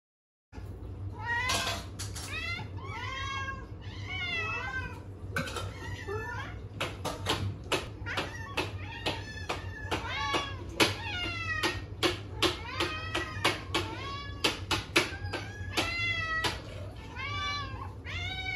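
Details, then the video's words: Several hungry domestic cats meowing in chorus while anticipating their meal; overlapping harmonic meows, many rising then falling, come in rapid succession with clicks and knocks between them, over a steady low hum. "When the cat choir sang their mealtime praise"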